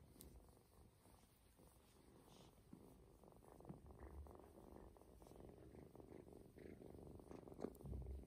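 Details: Ginger kitten, a male taken from his mother early, purring contentedly during a belly rub meant to aid toileting; low buzzing purr in quick pulses, growing slightly louder toward the end with a few touch noises.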